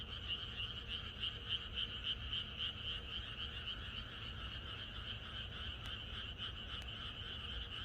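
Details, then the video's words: Countryside frog chorus heard on a night before rain: many callers croaking in fast, regular pulses, loudest early, then a continuous rasping wall of sound; two faint sharp ticks near the end. "비가 오려나?이것이 자연의 소리 ~개구리들의 합창"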